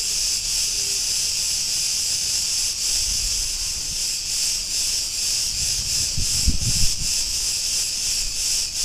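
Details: Street in Ierapetra, Crete, Greece, filled with the song of Cretan cicadas: an intense hissing buzz beating in quick pulses, with a few low knocks and distant urban rumble.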